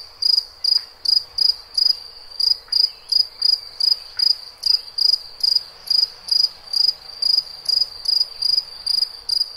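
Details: Cricket chirping: high, pulsed chirps repeated steadily, roughly two and a half per second, each a short buzzy burst, with a faint continuous high tone beneath and no other clear sounds.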